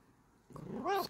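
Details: Bengal cat voicing one brief call: a low rough onset swelling into a clear, harmonic-rich meow that rises slightly and cuts off after about a quarter second, in a quiet room.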